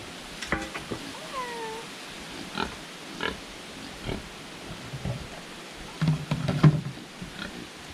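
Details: Domestic pigs on Toau atoll in Polynesia grunt and give short squeals, excited at their daily feeding time.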